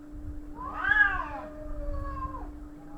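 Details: Cats in a fight: one loud, arching wail swells and falls, then trails off into a long, flat, whining tone over a constant low hum.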